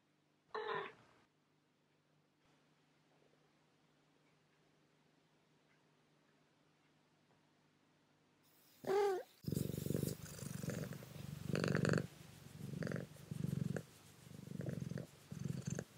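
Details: Pet cat meowing for her breakfast in the morning, following her owner until fed; one short meow, a long quiet pause, then a second bending meow followed by loud, rough, pulsing sounds.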